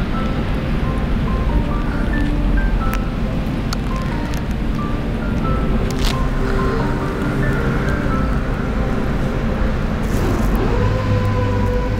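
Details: Steady music with a simple melody plays over a constant low rumbling, wind-like background, with no animal voice.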